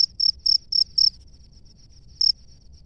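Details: Male cricket in its nest calling to a female: four loud chirps close together at a high pitch, a pause, then one more chirp, over a faint, softer chirping.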